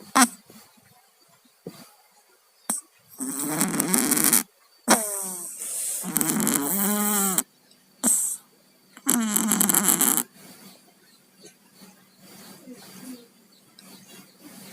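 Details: Sleeping pet cats Tayen and Lilu, both down with colds, snore with rough, rumbling nasal breaths, loud raspy bursts of one to two seconds in an uneven rhythm with quiet gaps between them, indoors.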